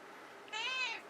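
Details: Domestic cat indoors, praised by its owner and encouraged to whisper: a single gentle meow lasting about half a second, level then slightly falling, with bright overtones and a quiet background.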